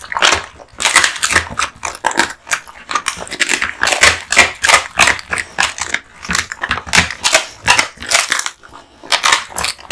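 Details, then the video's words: American Bully male Kotetsu (born 8/8/2016) crunching a duck spine jerky present; bright, sharp cracking bites repeated rapidly, bone-like snaps dominating throughout with brief pauses. "Dog eating Duck spine jerky"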